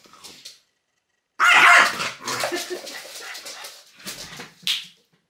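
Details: Pet French bulldog Loki, teased by pointing fingers, lets out a sudden loud harsh bark after a short silence, then trailing growly grumbles and a final sharp yelp.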